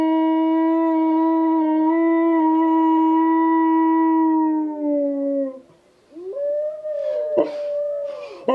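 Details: Husky crossed with German Shepherd answering howling wolves: a long, rich, steady howl of about five seconds that slowly sinks at its end, followed by fainter distant wavering howls and a few sharp knocks.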